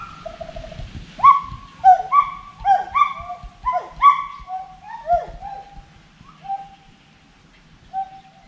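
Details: Forest monkey calling with a row of sharp, downward-swooping hoots over a faint low rumble, notes spaced under a second apart and trailing off into sparse, softer calls.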